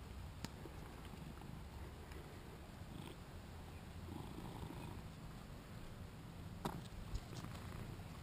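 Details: A faint, continuous low purr comes from Shinobi, a vocal two-year-old male British Shorthair playing and recorded on a GoPro, with a few sharp clicks and taps cutting through.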